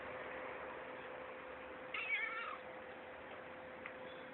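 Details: Pet cat at play with its owner gives one short meow about two seconds in, a brief harmonic cry that bends slightly downward, over a steady low electrical hum in a quiet room.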